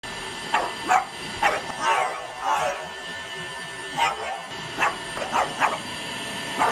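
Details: A French Bulldog barks at a running vacuum cleaner, its worst enemy that it always watches for: short, gruff barks in an irregular series over the vacuum's steady mechanical whine.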